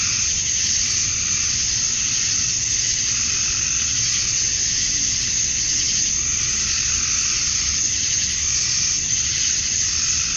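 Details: Summer dusk in Georgia, USA, filled with male cicadas singing to draw females; their massed buzz forms a continuous shimmering high hiss, slightly pulsing in intensity, with a soft low background rumble.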